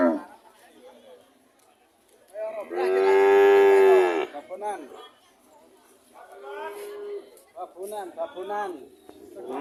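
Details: Cattle lowing: one strong, sustained moo of over a second in the middle, surrounded by shorter, softer grunting calls and a quieter moo later, with gaps of near silence between.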